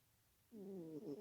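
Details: A snoring female domestic cat, sleepy; a brief hush, then the start of one buzzy, rattling, harmonic snore breath.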